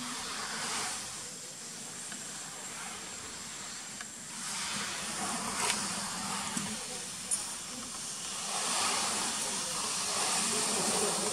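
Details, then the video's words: Asian honey bees (Apis cerana) giving their danger alarm sound, a warning before stinging: a steady, broad rushing hiss that swells and fades gently over several seconds, with a faint low hum underneath. "Signal alarm of honey bee | Danger alarm sound of honey bee | Apis cerana"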